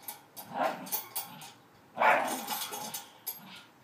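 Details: Staffordshire Bull Terrier at play on a spring pole received for Christmas; short gruff growls and yaps, one louder rasping burst midway, mixed with clicking and rattling from the toy.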